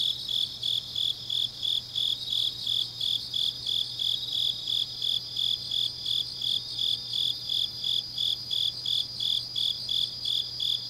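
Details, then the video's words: Grass insects on a deep autumn night in Changnyeong, Korea, keep up a shrill, pulsing chorus, about three high chirps a second, layered with a second buzzing trill slightly higher; a soft constant low hum lies beneath. "깊은밤 가을 풀벌레 소리"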